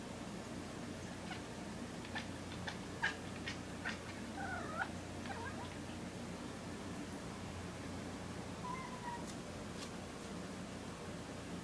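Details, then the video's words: Kitten in a kitchen making noises at a moth: a run of quick, clicky chirps and short squeaky chatters, then a few soft rising mews, over a steady low indoor hum. "kitten making noises"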